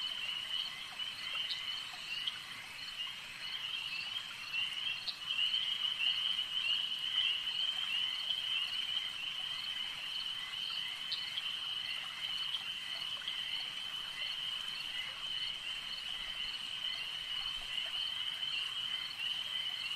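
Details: Lakeside frog chorus: many voices merge into a continuous high, ringing trill, with a few sharper clicks standing out around the fifth and eleventh seconds.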